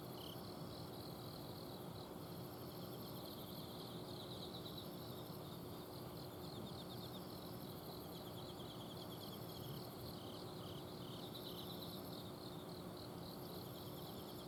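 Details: Autumn night in a home garden in Azumino, Japan: several insects keep up soft pulsing trills and intermittent high buzzing bursts, fainter than the low continuous hum of an air-conditioner outdoor unit that fills the background.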